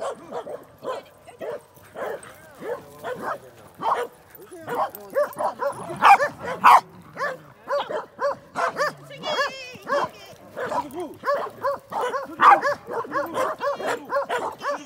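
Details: Pembroke Welsh Corgis, four dogs (two sisters and two brothers), playing together at a dog run; rapid sharp barks and yips come in quick runs, nearly two per second, with human voices talking underneath.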